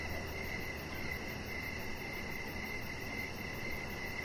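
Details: Evening crickets by an outdoor deck lit with decoration lights: a continuous thin, high trill of chirps runs through, somewhat blurred, over a steady low hum.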